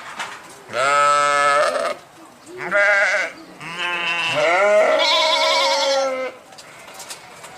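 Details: Sheep calling repeatedly: a long baa, a short one, then a wavering bleat that runs on for about two and a half seconds and rises in pitch toward the end.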